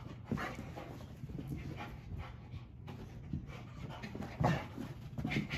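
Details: Bella, a dog found abandoned and tied to a trash can outside a gas station and later adopted, pants in quick soft breaths with occasional faint whimpers over a steady low indoor hum.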